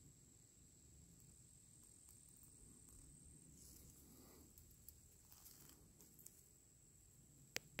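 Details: A male tree cricket (genus Oecanthus) sings a steady, unbroken high-pitched trill over a low background rumble, then withdraws.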